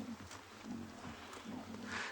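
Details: Low, rough lion growls rumble in uneven bursts as cubs growl while lions fight over food at a kill at sunrise, 25 May 2020, Tswalu Kalahari Reserve, South Africa; a man talks quietly nearby.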